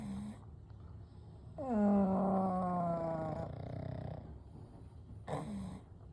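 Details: Pugs Kou, Gen and Shun asleep side by side; a drawn-out, nasal, tonal snore slides down in pitch and fades over about two seconds, framed by short hissing breaths.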